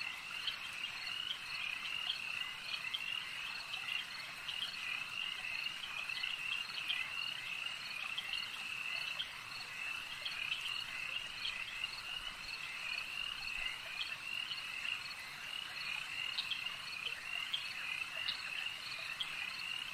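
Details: Frogs at a lake form a long, even chorus of high trilling and rapidly repeated croaks, with no pauses and little else audible.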